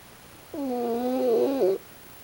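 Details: One sustained, buzzy-tonal snore of just over a second from Pochi the raccoon dog, asleep and pulling a strange face. It has layered harmonics and a slight wobble at the end, against a quiet indoor background.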